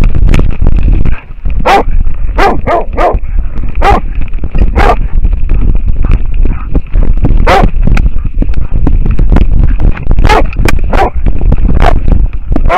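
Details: Camera-harness recording of an American foxhound barking at a wild boar. Sharp, hoarse barks come in uneven clusters, some in quick pairs and threes, over a heavy low rumble of movement and a thin steady tone.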